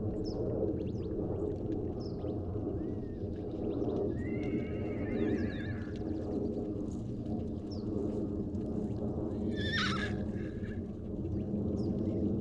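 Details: Wild horses at the Salt River, Arizona, where a baby horse has been separated from his mother, captured with a long-range microphone: two quavering whinnies, one mid-clip and one near the end, over steady low rushing background noise.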